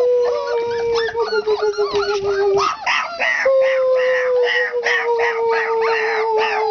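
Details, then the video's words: Four-week-old country puppies practicing: a steady drawn-out howling whine holds one pitch, breaks off and starts again slightly higher, while other pups chatter underneath in quick, choppy, squeaky yips repeated about three times a second. "Country puppies 4 weeks old"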